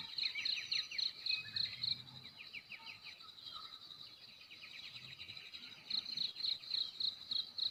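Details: Morning cricket chirps in Belus Bikase, Nekmese village, Ki'e district, NTT: two sharp runs of high pulses, several per second, frame a quieter middle stretch of chattering birdsong and a steady insect hum.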